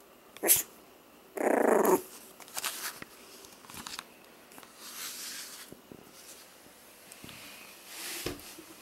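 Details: F1b Pomsky pups at four weeks old, 75% Pomeranian and 25% Siberian Husky, make a sharp yap followed by a harsh half-second growl, then softer scattered grumbles and shuffling noises.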